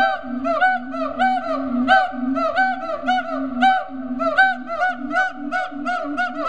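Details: Siamangs at Riverbanks Zoo, Columbia, South Carolina, calling in rapid repeated hooting notes, about eighty-five a minute, with harmonic rising-falling barks layered over a low steady boom, several voices overlapping.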